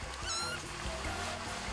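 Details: A kitten, one of five being raised by a neutered male cat, approaches its mother with its tail up and gives a brief, high, thin meow begging for milk as she moves away, over background music; it is weaning age.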